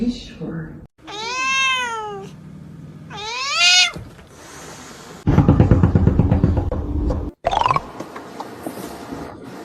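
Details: Pet cat uttering two arching meows in quick succession, each rising then falling, followed by noisy human speech and clatter, with a brief high squeak near the end.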